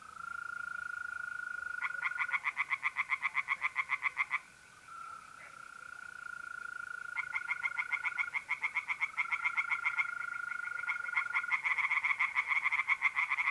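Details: Pond chorus of tree frogs at night in mid-April, north-east Italy: bursts of quick rattling croaks, roughly four a second, alternating with pauses, while mole crickets keep up a continuous shrill trill underneath.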